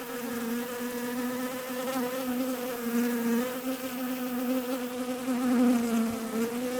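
A bee's steady, droning buzz, low and rich, its pitch wavering slightly as it flies close.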